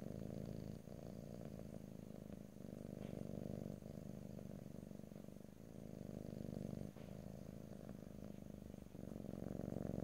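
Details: House cat purring in close stereo without talking: a deep, buzzing rumble held throughout, pausing briefly at each breath about every one to two seconds, with occasional faint clicks.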